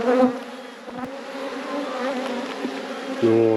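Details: Honey bees buzzing loudly as a nearly full frame of honey is lifted from the hive, a steady banded hum with a few soft knocks and a louder lower-pitched surge at the end.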